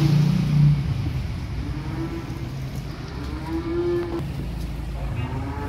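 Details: Small calves arriving on a truck give a low, short moo at the start, then drawn-out, steady moos, with a continuous vehicle rumble underneath.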